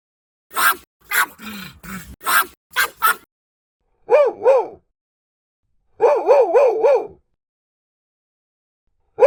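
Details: Dog barks from a compilation of mixed breeds, large and small: a fast burst of harsh barks, then short runs of quick, tonal yapping barks rising and falling in pitch, with gaps of silence.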